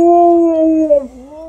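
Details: Happy female Alaskan Malamute howling as her people come back home, a steady, rich harmonic howl that holds level, dips lower near the end, then rises again over about one and a half seconds.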